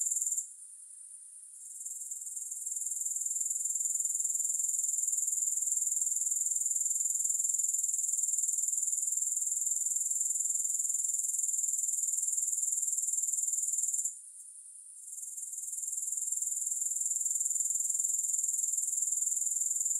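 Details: A continuous, thin, high insect trill from grasshoppers, pulsing quickly and evenly. It softens for a moment at the start and again around the fourteenth second, then returns to full strength. No other sounds.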